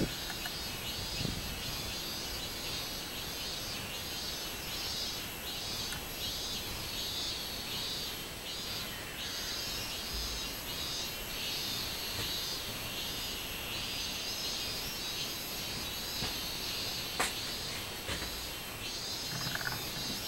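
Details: Robust cicada singing on 24 July 2016: a high, buzzy drone pulsing in a steady min-min rhythm, with several swells per second-and-a-half, over a soft background hiss and a few scattered clicks.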